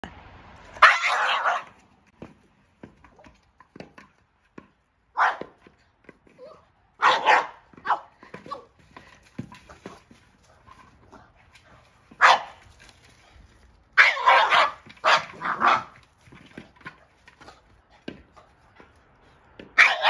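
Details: A Boston Terrier freaks out at a Jolly Egg toy, barking in sharp, irregular bursts, some single and some in quick clusters.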